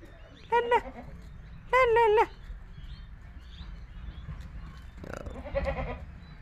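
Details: Himachali goat kids bleating: two short bursts of quavering, wavering bleats near the start and middle, then a fainter, rougher bleat near the end, over a low background rumble.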